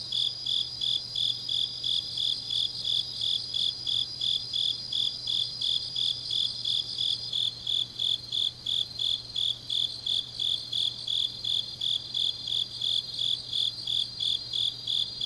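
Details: Autumn night chorus of grass insects recorded in Changnyeong, South Gyeongsang, South Korea. Rapid, regular high-pitched chirps pulse roughly three per second, layered over a continuous piercing trill that shifts slightly partway through. A faint low hum is also present.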